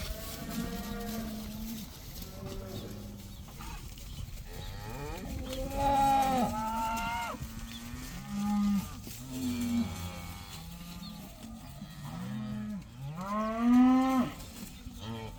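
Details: Herd of about 80 cows, let outside for the first time, mooing over one another: long, low harmonic moos overlap throughout, some rising and wavering, with louder bellows near six and fourteen seconds.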